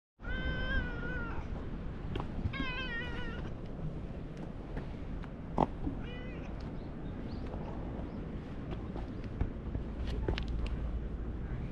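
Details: Lion-like orange tabby cat greeting visitors at a fishing port, giving a series of loud, drawn-out meows with wavering pitch, three close together early on and a shorter one later, over a steady low outdoor rumble.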